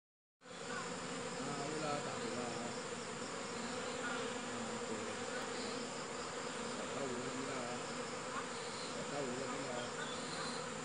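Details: Honey bees buzzing steadily, a dense continuous hum with even loudness throughout, no other clear sounds.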